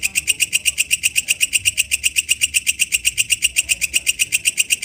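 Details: Wild walang kecek katydid giving rapid rhythmic buzzing pulses, roughly four each second, bright and even, over a quiet low rumble.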